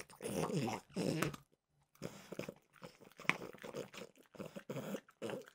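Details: Mimosa, a French bulldog, eats peanut butter flavored dog treats indoors, opening with two loud snuffling, crunching bursts, then a brief silence and a string of shorter, softer crisp bites and lip smacks.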